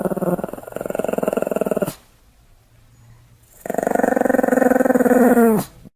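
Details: Pomeranian named Sam, recorded 1 May 2015, pretending to bite: two pulsed, rumbling growl bursts of about two seconds each, split by a short silence, the second turning into a whiny tone before it stops.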